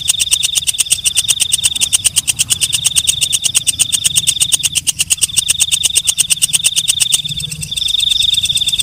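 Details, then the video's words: Walang kecek, a katydid heard at night, producing dense rhythmic clicking with a steady piercing high whine running underneath; the ticking fades briefly near the end. "Suara Walang Kecek/ Belalang Malam"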